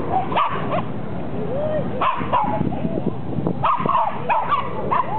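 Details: Basset Hound at Parque Ibirapuera in September 2009, giving repeated arching, moaning calls with mid-pitched peaks every second or so over a steady outdoor background, with people's voices mixed in.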